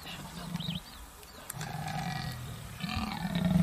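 A leopard roars in three deep, guttural bursts, each rough and throaty and separated by short pauses. The low rumble carries strong harmonics, with faint higher sounds in the background.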